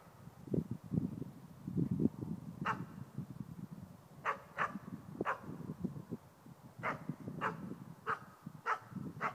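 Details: Nova, a 4-month-old East Siberian Laika, baying at a moose for the first time while hunting. Sharp barks come in irregular bursts, several per second at times, over low rustling and movement noise outdoors.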